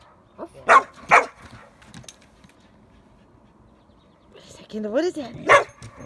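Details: Border Collie chasing bubbles on a summer evening gives two quick sharp barks, then after a quiet pause a rising whiny yelp and another loud bark, with a person talking between them.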